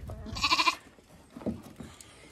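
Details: A stressed lamb trapped on a farm in County Kilkenny, Ireland, gives a single loud, wavering bleat, high and nasal, then falls quiet. It was heard calling frantically while being coaxed to back out.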